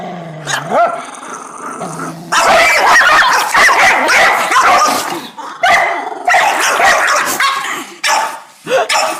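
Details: Dog making weird noises and an odd bark: long strained, harmonic yowling cries run almost nonstop from about two seconds, with short breaks near five and a half and eight seconds, after softer sounds at the start.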